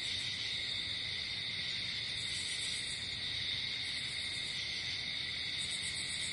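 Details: Night-time crickets outdoors, an unbroken high trilling drone made of many overlapping chirpers, level throughout with a soft low hum underneath.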